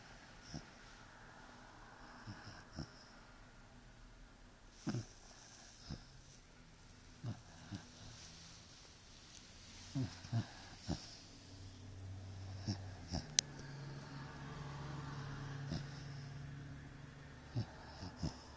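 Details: A 4-month-old Basset Hound puppy, napping on its owner, snores with low, rumbling breaths and soft wheezes.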